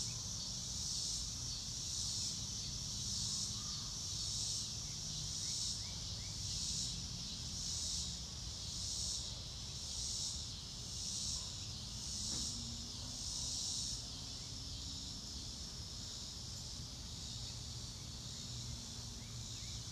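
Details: Crickets giving a high, sizzling pulsed chirp that rises and falls about once a second for most of the stretch, then softens toward the end, with faint low rumbling and a brief click near the middle.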